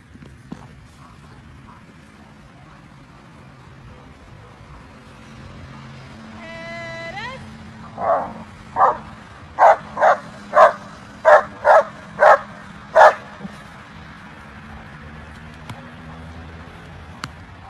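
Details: German Shepherd Felicita v.Schnitzertea, VA5 at the 2023 BSZS world championship, barks in a burst of about nine sharp barks midway through, after a rising whistle-like tone, over crowd murmur and low rumble.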